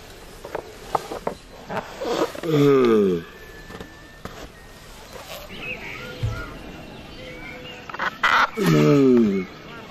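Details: Turtles mating give two loud, harmonic moans, each dropping in pitch over about half a second and several seconds apart. Faint voices and scattered rustling are heard in between.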